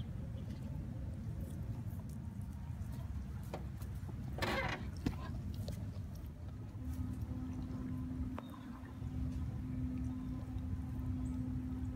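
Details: Low rumbling background noise with a steady hum, a brief splash-like burst and faint distant voices; no animal calls stand out.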